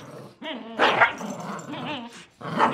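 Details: A miniature schnauzer and a Lhasa apso, two pet dogs, fight over a rope toy by a chair. Snarling, gremlin-like growls come in rough bursts with short yippy barks, while a person talks over them.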